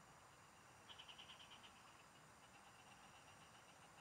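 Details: Frogs calling in fields, heard while fishing: one clear run of about eight fast rattling pulses, then fainter pulsed calling over a steady insect hiss.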